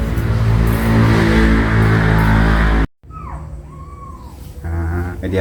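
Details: Mother cat moving her kittens one by one. Speech and music fill the first half, then a single falling, then level meow follows a brief gap.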